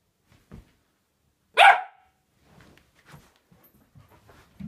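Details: An 11-week-old Samoyed puppy lets out a single loud, high, yappy bark indoors, with faint soft thumps and shuffling before and after.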